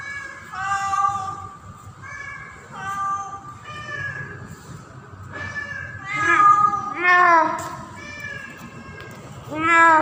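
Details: Female domestic cat in heat named Pretty calls for a tomcat in mating season, moving in and out: a series of meows, at first shorter and softer, then louder, strained yowls with falling pitch near the end.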